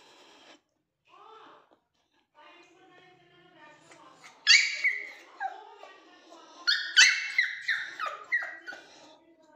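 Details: A toy Pomeranian indoors, crying for its owner: quiet, soft whimpers at first, then bursts of high, wavering whines that slide downward, coming in quick clusters.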